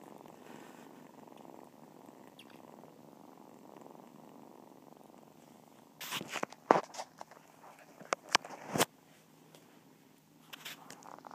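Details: Kitten purr, a low steady rumbling pulse for the first six seconds, then broken by sharp crackling handling noises and clicks before the purring fades back in quietly.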